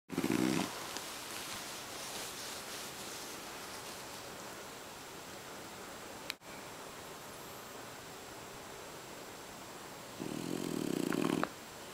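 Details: French Bulldog named Boss napping inside a kotatsu, rolling over while snoring loudly; two short raspy snore bursts, one at the start and one near the end, separated by a long quiet stretch of breathing.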